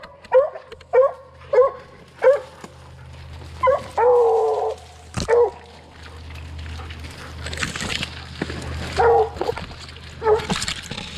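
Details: Barking of young Redbone Coonhounds on a 2020 coon hunt: a quick series of sharp barks, then a longer drawn-out bay, followed by scattered barks over a low outdoor rumble.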